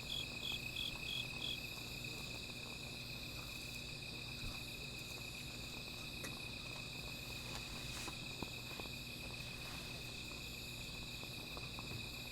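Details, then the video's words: Insects calling at night beside a small fire: a steady high trilling drone with a second layer of quick pulsed chirps, several per second early on, over faint low rumble and scattered soft crackles. "Sound of Insects"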